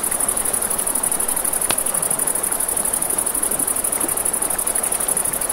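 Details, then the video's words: Crickets trilling at night beside a river, a steady high pulsing chirr running throughout, over the rushing hiss of flowing water and a sharp crackle from a campfire. "Campfire by the River at Night Ambience | 1 Hour of Crackling Fire, Crickets, Ambient Nature Sounds"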